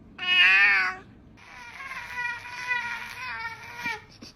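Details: Domestic cat meowing indoors: one loud, bright meow, then a longer, wavering, drawn-out call with a chattering tone that rises and falls for about three seconds.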